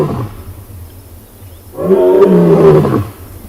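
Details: Roar of a huge male lion after scent marking on the quarry at Tswalu Kalahari Reserve, South Africa, on a 5 August sunrise drive. After quiet background, a single loud, deep moan with rich harmonics holds for about a second, then stops abruptly.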